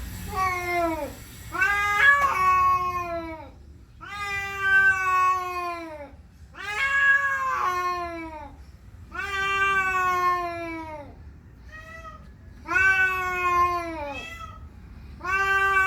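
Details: Male pet cat, territorial and aggressive after seeing another cat outdoors, gives a run of drawn-out, moaning yowls, each about two seconds long and rich in harmonics, arching then sagging in pitch, repeated every two to three seconds in a small room.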